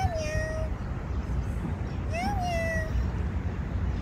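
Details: A street cat, filmed in January 2024, utters two clear drawn-out meows: the first falling then level, the second rising, peaking and easing down, over a steady low outdoor rumble.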